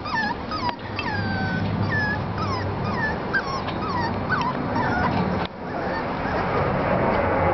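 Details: Five-and-a-half-week-old Parson Russell Terrier pups give loud, clear whimpers: thin, squeaky cries that slide downward, repeated about three times a second in an uneven run, over a low, steady hum.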